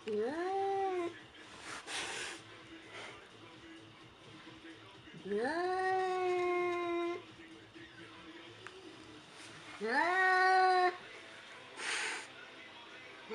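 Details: Domestic cat, described as scared, giving three drawn-out rising meows about every four to five seconds, each sliding up then holding steady, with brief bursts of noise and quiet background between calls.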